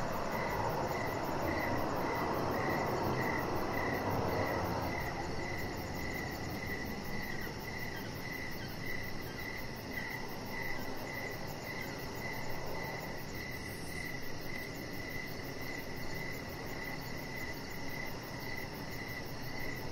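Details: Crickets chirping outdoors by a deck in the evening: steady mid-pitched chirps about twice a second over a fast, very high pulsing trill, with a broad low rushing noise that is loudest in the first five seconds.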